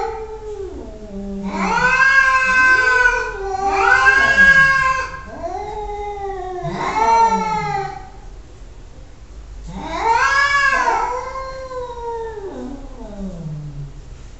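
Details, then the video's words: Cat yowling repeatedly, four or five long, drawn-out wailing meows with bending, wavering harmonic tones, each lasting one to two seconds, separated by short pauses, in a quiet indoor space. "Annoying Cats sounds"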